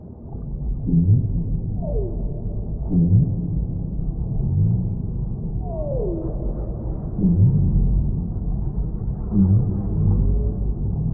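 Whale song: low moans with sweeping downward glides, repeated every couple of seconds over deep rumbling water.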